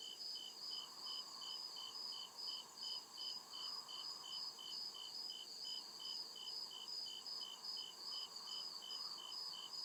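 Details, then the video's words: Crickets at night in deep woods, a steady pulsed chirping high in pitch, about two to three pulses per second in two stacked bands, over a soft lower hum. "CRICKET CHIRPING SOUND"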